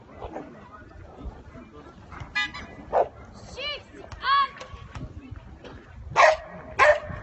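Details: Dog in show ring 1 at St Avold, giving a few short yelping, whine-like cries in the middle, then two sharp, loud barks about half a second apart near the end, over steady background talk from people.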